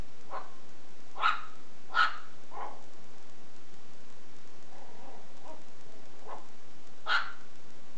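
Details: Shih Tzu puppy at play with a belt, letting out a few bright yaps in a cluster early on, a pause with faint muffled noises, then one more sharp bark; steady hiss throughout.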